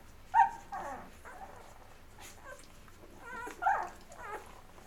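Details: Labrador Retriever puppies of Mocha, eleven days old, feeding before crawling off to sleep; two sharp, high whining squeaks stand out near the start and again past the midpoint, with fainter whimpers between and a quiet background.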